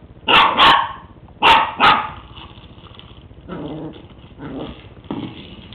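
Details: West Highland White Terrier playing with a treat ball for the first time; two pairs of sharp barks, then softer grumbling growls.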